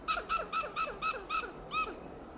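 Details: Western gray squirrel on a coast live oak in Del Monte Forest, California, giving loud alarm calls: a rapid staccato run of about eight harsh, clucking notes, each with a short downward sweep, evenly spaced over two seconds.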